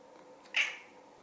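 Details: A silver tabby house cat meows toward the camera indoors while a second cat behind it shows a flehmen response; one short, bright meow with a quick rise and falling tail.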